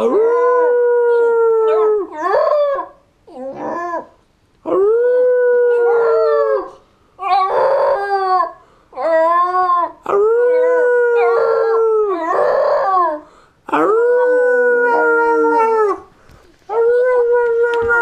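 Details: Border terrier singing: a run of about eight sustained, harmonic howls, each lasting one to two seconds with short breaks between, mostly held on a steady note with slight upward bends and a few wavering, yelping onsets.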